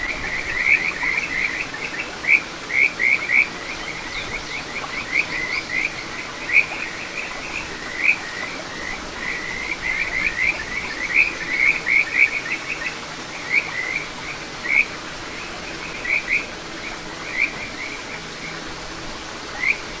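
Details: Kajika frogs calling along a small satoyama stream in Ichihara, Chiba Prefecture, Japan, 9 June 2022; clusters of bright, rising whistled chirps repeat throughout, several voices overlapping over a soft constant murmur of flowing water.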